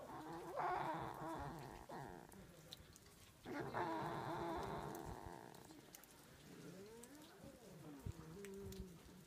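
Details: Foxes at Zao Fox Village in Japan in winter, fighting: harsh, noisy cries in two long bursts, then shorter, wavering whines near the end, with rustling and background noise throughout.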